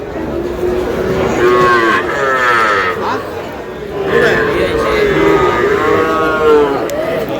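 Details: Young bull calves, one a Sahiwal calf, bought by a Narsingdi farmer at a cattle market on 6 July: several drawn-out, harmonic moos with wavering pitch follow one another over market chatter.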